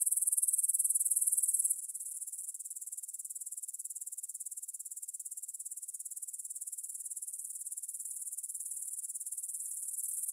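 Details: Meadow grasshoppers near Bryansk's Svensky monastery, Russia, 9 pm, 6 September 2020, Tascam DR-44WL stereo recording: loud high sizzling chorus that quickly fades to a quieter, finely pulsed rasp, roughly three to four beats per second.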